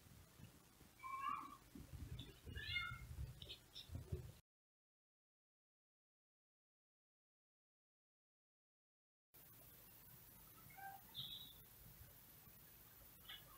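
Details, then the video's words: Outdoor male cat meowing, watched by indoor cats at a window: a few clear, bent meows in the first seconds over low rumble, then a silent gap and a faint later call. "Male cat meowing outside"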